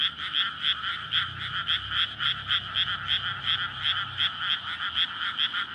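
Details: Frogs calling for courtship in a May rice field flooded for planting, Japan, at night; steady rapid croaks pulsing about three times a second in a dense chorus, with a soft low engine hum from a nearby road.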